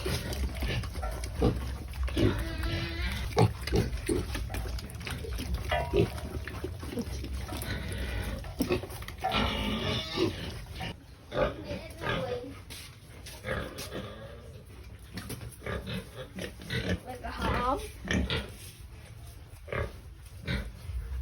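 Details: During feeding time, several pigs make a noisy chorus of deep, rough grunts mixed with higher, rising squeals that overlap continuously, with faint human voices in the background.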